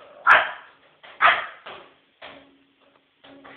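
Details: Female Pekingese indoors barking nonstop to warn her owner of a person beating on an empty bottle; sharp, loud single barks about a second apart, the first two strongest, followed by softer yaps.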